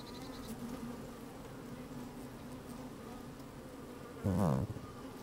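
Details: Honey bees at work in an opened hive on a fine sunny day, microphone inside the hive: steady low droning, then a short loud burst of close buzzing near the end.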